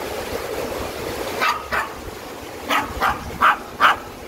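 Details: Ten-year-old Maltese recovering from surgery, visiting Bulyeong Valley in Uljin, Korea: six short sharp barks, two close together then four spaced about every half second, over steady rushing stream water.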